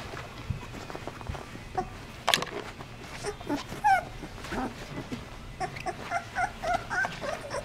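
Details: Litter of 16-day-old Basset Hound puppies among brothers and sisters, giving faint, short, high squeaks and whimpers, scattered and more frequent toward the end, over soft shuffling and rustling.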